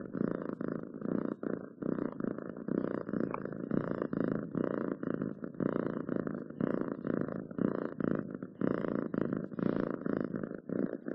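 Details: Domestic cat purring steadily up close indoors, a low rumbling throb pulsing in regular bursts about twice a second with brief pauses for breath, no other sounds.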